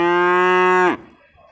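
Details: A single loud, steady moo from beef cattle at the Purwakarta animal market, Indonesia, recorded 15 July 2024. The flat, rich tone holds for almost a second, then breaks off sharply into quiet market background.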